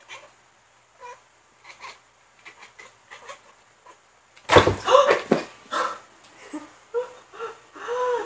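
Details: Pet tabby cat on the hunt making weird noises indoors: soft, clipped chirps spaced about every half second, then a sudden loud burst followed by repeated arched, meow-like chirrups growing stronger toward the end; small-room echo.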